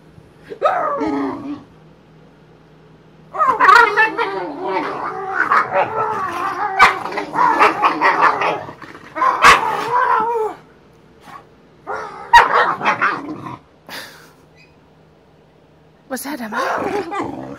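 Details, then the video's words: Play fight between Boxer dogs Emma and Wyatt, with a long stretch of dense, rough growling and barking lasting about seven seconds, followed by shorter gruff bursts and brief pauses. "Boxing boxer"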